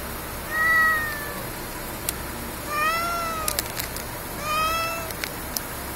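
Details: Stray cat crying in a convenience-store parking lot in darkness, as though pleading for something: three drawn-out harmonic meows about two seconds apart, each gently arching in pitch, with scattered clicks and a constant low hum behind.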